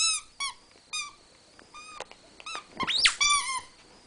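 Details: Newton and Twinkie, two Rat Terriers, wrestling at home; brisk repeated squeaks about four per second, one sharp rising yelp near the middle, then more clipped squeals.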